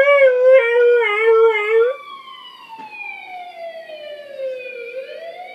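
A Siberian husky gives a loud, wavering howl, copying the rise and fall of a police siren.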